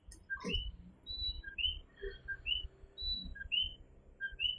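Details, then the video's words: Coquí frogs chorusing at night in Fajardo, Puerto Rico; repeated two-note whistles about every two seconds from several frogs, plus a brief sliding voice-like sound at the start and low background rumble. "Coquí Serenade | Authentic Puerto Rico Night Sounds"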